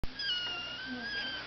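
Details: Maine Coon kitten giving a thin, high, drawn-out meow that holds steady and then slowly falls, with a faint background hum.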